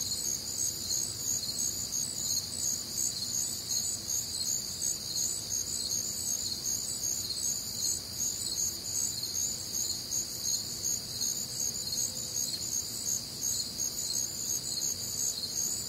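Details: Crickets and other nocturnal insects recorded on a warm, humid Midwestern summer night; dense high-pitched chirping in several layered bands, steady pulsing about two to three times a second, with no other clear sounds.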